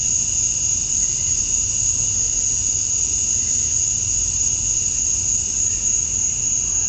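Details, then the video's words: Summer dusk chorus of male cicadas in Georgia, USA, calling to attract females: a constant, piercing high whine with a lower steady hum underneath, level and unvarying from start to finish. "Cicadas at Dusk, Summer Night"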